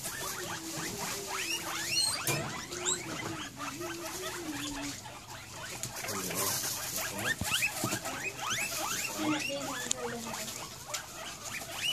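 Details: Several excited guinea pigs around dinner time: rapid, overlapping high rising squeaks over a low, wavering purring tone. Soft rustling patter runs throughout.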